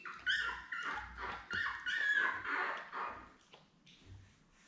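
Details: Litter of seven newborn Labrador Retriever puppies born May 24, 2021, with mother Belle, filmed indoors by puppy cam on June 4. Loud, tonal whining yelps follow in rapid succession, each rising and falling, then fade into soft shuffling.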